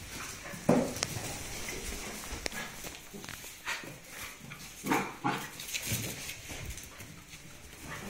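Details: Young dogs tussling over a sock: rough little growls and sharp squeaky yelps come in scattered bursts, some sudden and loud, over faint background talk and household noise.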